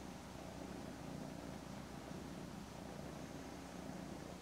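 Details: Purring from a mother cat as she hugs kittens Daisy and Aragon, nearly ten weeks old; an even, deep throbbing hum sustained without pause over a quiet indoor background.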